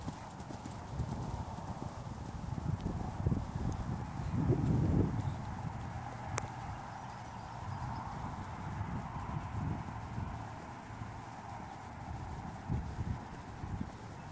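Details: Dutch Warmblood horse offered for sale, its hooves landing in dull, low thuds at a fast, fairly even pace of about four beats a second, over a steady low hum, with one sharp click midway.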